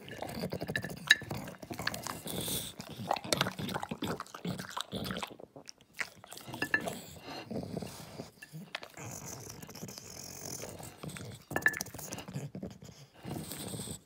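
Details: An English Bulldog eats with loud, crunchy chewing and wet smacking in uneven bursts with short pauses, apparently refusing a carrot; a few soft human words are heard near the end.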